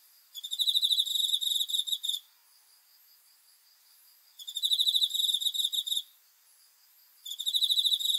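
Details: Cricket calling at night in repeated bursts of fast, high-pitched pulsing trills, each lasting nearly two seconds, spaced by gaps of about two seconds; quiet otherwise.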